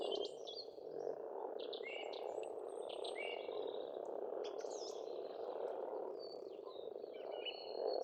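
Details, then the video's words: Dense croaking of many frogs in a pond on an Estonian farmstead in spring, continuous and even, overlaid by repeated chirps and short whistles from songbirds. "Расслабляющее пение птиц и лягушек"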